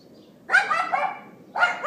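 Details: Dog left outside by neighbors, iPhone 4S recording from April 18, 2012, 11:31 AM: a rough, strained yap lasting nearly a second, followed after a short pause by another loud high bark.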